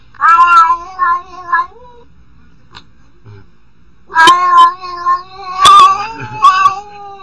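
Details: Domestic cat making weird meows: a run of three short wavering cries, a pause, then a longer series of warbling, quavering meows with a few sharp clicks.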